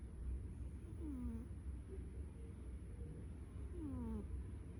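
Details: Cat snoring: two falling, whistly squeaks about three seconds apart, one per breath, set against a steady low droning background.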